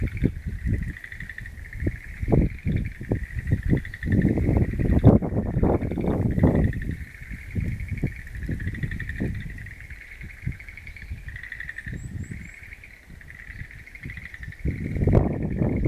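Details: Frogs calling together in a wild-plant garden, April 11, 2013. Pulsed, rattling trills continue throughout in overlapping waves at a steady pitch; bursts of low rumbling wind or handling noise rise and fade, loudest near the middle and end.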